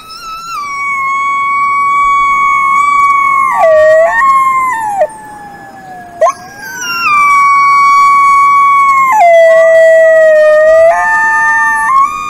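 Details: Wolf howling: long, clear, sustained tonal notes held steady, dipping sharply lower and sliding back up between phrases, with a brief break midway and no other sounds.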